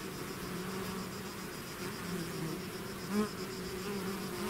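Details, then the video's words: Swarming bees out of their hive produce a rich, steady buzzing hum, with one bee flying close by near the end in a short, rising whine. "bees therapy swarm natural buzzing sound"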